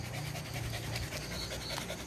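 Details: Pet dog panting steadily, a soft rapid breathy rasp running through the whole moment, with faint background hiss.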